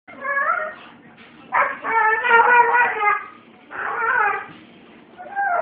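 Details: A 19-month-old Australian Cattle Dog gives loud, wavering, dingo-like howling yodels in bursts of about one to two seconds, teaching a 10-week-old puppy his dingo noises.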